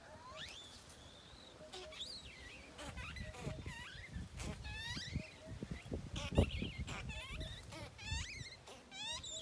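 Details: Baby monkey named Tony crying angrily at not being nursed: a rapid series of shrill, harmonic screams, each sweeping sharply up and wavering, repeated over and over with short gaps, with soft low rumbling and faint cooing in the background.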